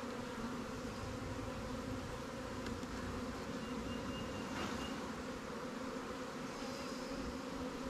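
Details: A swarm colony of honey bees housed in a Langstroth or Warre hive during a check in the apiary. Constant droning buzz of many bees, a thick layered hum without pauses, with a faint high whine briefly.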